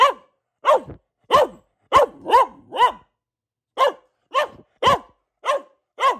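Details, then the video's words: Household Boxer dog Luna, female, barking in quick succession: eleven short, bright barks, a tight cluster early, then evenly spaced ones after a one-second pause, in a quiet room. "Relaxing Barking from our Dog - Luna the Boxer"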